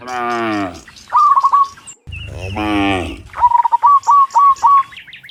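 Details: Cows moo in the morning as they return from the field to the barn. Two drawn-out, low, rich moos are interrupted by quick series of high chirps repeated in rapid trills.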